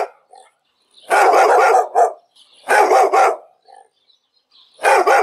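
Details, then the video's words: Dog barking in two loud bursts of rapid, rough barks about two seconds apart, followed by a third burst at the end, with short quiet gaps and faint softer yelps between. "El sonido del perro.Ladridos de perros."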